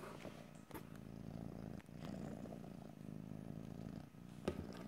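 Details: Close, continuous cat purr captured in stereo, low and grainy with a pulsing texture, interrupted by a few short clicks and handling noises.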